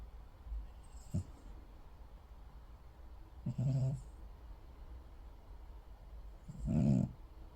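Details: A sleeping cat snores in a quiet room. Soft, low, rasping breaths come about every three seconds, the last one longest and loudest.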